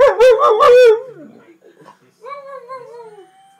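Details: Two dogs, a jug and a husky, howl together: a loud wavering howl for the first second, a quieter pause, then a long smooth howl that slides slowly downward and fades.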